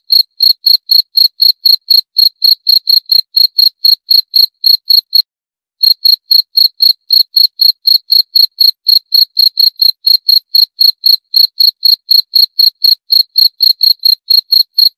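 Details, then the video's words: Jangkrik, a cricket, calling in rapid even chirps, roughly four per second, with one brief half-second break midway before the regular high, ringing pulses resume; nothing else audible behind the insect. "28 Menit Suara Jangkrik - 28 Minutes Cricket Sound Effect"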